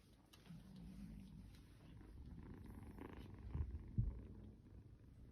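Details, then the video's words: Domestic kitten snoring and purring while cuddled by a man; a steady low rumbling purr pulses about two or three times per second, with a couple of louder soft bumps near the end. "cuddles his snoring kitty kitten"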